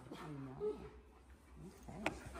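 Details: Tonka, an Alaskan Malamute, chats with staff at his vet's office after a limp vanished. Two soft, low, curving woo-like vocal glides rising and falling, with a sharp click near the end and quiet room noise.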